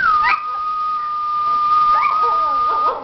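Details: A pet Schipperke singing, holding a long, steady, high howled note with short yelping breaks near the start and near the end.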